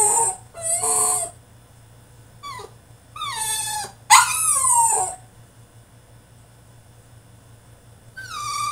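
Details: Caged French Bulldog in a tantrum, giving loud drawn-out whines and squealing yelps, several falling cries in the first five seconds, then near silence before one last rising whimper; low electrical hum throughout.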